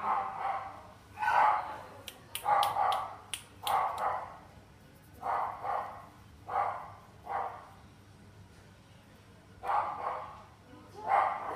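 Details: A Shiba Inu puppy in a pet shop in Kohoku, Japan, giving a string of short, sharp, mid-pitched yelping barks in uneven bursts, about one a second at first, then spaced out with pauses.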